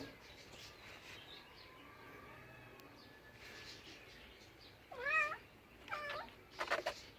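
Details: Domestic cat giving three loud, clear meows toward the end, each a curved rising-falling call about one second apart, after several seconds of quiet room noise.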